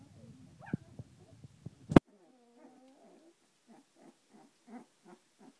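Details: Samoyed puppies, 18 days old, finding their feet; a loud knock, then soft short whimpering squeaks repeated about every half second, with faint rustling.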